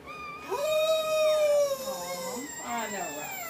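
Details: Dobermann female in labor, birthing puppies: one long, steady, howl-like whine that holds its pitch and then sags and wavers into quieter whimpers, with a person murmuring encouragement nearby.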